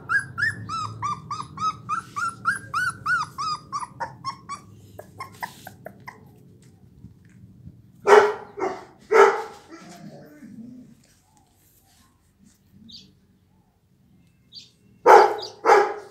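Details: Blue American Pit Bull Terrier puppies, offspring of a dog named Raven, at twenty-four days old: a long run of high, wavering whimpers and whines, then a few loud, sharp barks spaced about a second apart, and a short final pair of barks.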